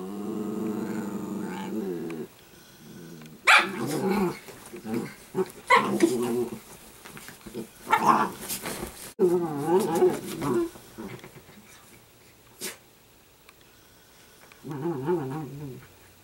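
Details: Indoors, Sparkle the Italian greyhound puppy growls in long wavering rumbles that rise and fall, broken by yappy barks and snarls, with faint voices and household knocks around.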